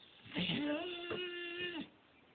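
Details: Pet dog Lilly talking: a drawn-out, tonal, moaning woo that rises and then holds steady for about a second before dropping away, while a person speaks softly to her indoors.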